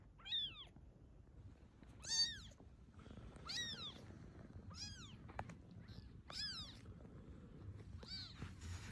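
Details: Domestic cat that was fed, stayed on and later brought several newborn kittens back; a series of high, arching meows, about six in nine seconds, each with a rising then falling tone, over a low background hum.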